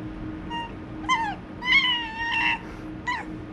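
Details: Pet white fox playfully attacking and nipping its owner's hand, giving a run of short, high, harmonic whining squeals and chatters in four bursts, some falling in pitch, over a quiet indoor hum.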